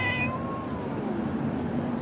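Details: A Bengal mother cat with her baby boy kitten lets out a meow that starts high and bright, then slides downward and fades over about a second, as her owner speaks soothingly nearby.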